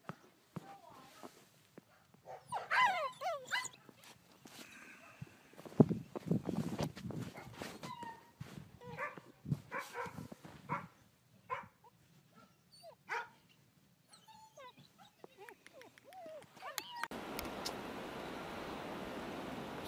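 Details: Bernese Mountain Dog puppies at play in the snow give scattered short barks, high yelps and whining squeals over twenty seconds, mixed with a voice calling to them; a steady rushing noise takes over near the end.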